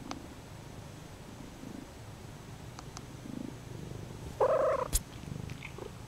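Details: Purring from Lucy, a Bombay cat obsessed with a stuffed animal horse she holds by the nose and kneads; soft low rumble broken by a brief brighter squeak near the end.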